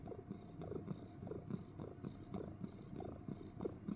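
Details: Pet cat cuddling inside a box, making soft cricket-like sounds: a low, rapid pulsing purr with rhythmic throbs repeating several times a second, steady throughout.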